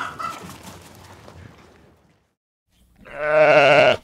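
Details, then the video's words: Sheep giving one loud, steady, harmonic-rich bleat lasting about a second, after a quieter stretch of soft, scattered background sounds and a brief near-silent pause. "Animal Relaxing with Nature Sound : beauty sheep"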